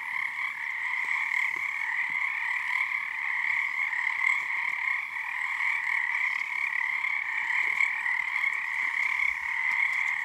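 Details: Many frogs calling together at night on Harstine Island, Washington, beneath a full snow moon early in their season. A thick, continuous pulsing chorus swells and eases slightly but never stops.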